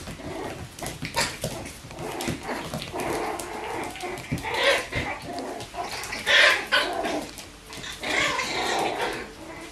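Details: Bichon Frisé puppies from litters O and P at a kennel, playing indoors: scattered short yips and rough growly bursts at irregular intervals, with clicking and shuffling noises in a small room.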